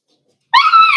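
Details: Four-week-old Cavalier King Charles Spaniel puppies in an indoor puppy pen at home; one sudden high, tonal whine with clear harmonics, rising slightly and held steady for about half a second after silence.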